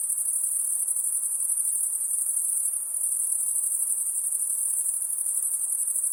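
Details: Steady, piercing high insect trill at night, evenly pulsing without pause, with only a light hiss beneath.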